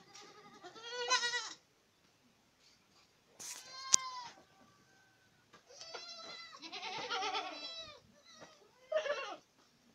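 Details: Boer goats at Acatlán de Osorio, Puebla, giving overlapping shrill, quavering bleats, with a sharp knock at about four seconds and a long, wavering chorus of bleats in the second half.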